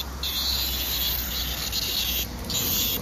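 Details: Blackish cicada (Cryptotympana atrata) song on 3 August 2024 during summer cicada collecting: a loud, steady, high-pitched buzzing drone, nearly unbroken, with a brief dip near the end, over a faint low hum.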